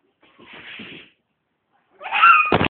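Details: A cat trying to get a stick gives a soft breathy murmur, then after a pause a louder, strained, rising meow that ends in an abrupt burst of noise.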